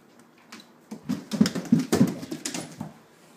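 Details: Dog indoors in a small room giving a run of short, low, grunting vocal bursts, about three per second, building up and then fading, with soft tapping between them.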